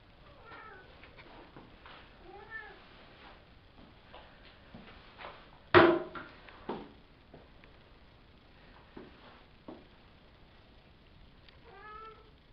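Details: Savannah kittens, a litter of three males and two females from Kendi and Gargoyle, born April 22, recorded May 30: repeated short thin meows scattered throughout, a sharp loud thump midway and smaller knocks after.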